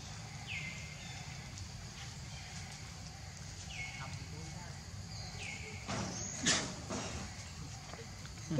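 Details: Hungry baby monkey named Leo begging its mother for milk, giving three high whistled cries that drop in pitch and level off, spaced a few seconds apart, against constant low background noise and a brief clatter near the end.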